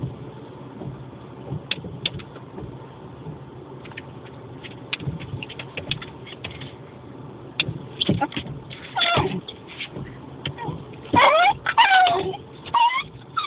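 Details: Dog barking at the moving windscreen wipers: quiet at first, then bursts of high, whiny, rising and falling yelps and barks clustered toward the end, over a steady low vehicle rumble.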